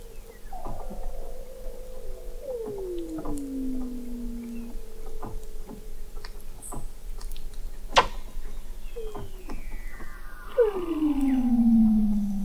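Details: Weddell seals recorded in November 2017 at 21 m beneath sea ice in McMurdo Sound, Antarctica: several separate falling whistles, the last loudest and steepest, with clicks and a constant low drone in between.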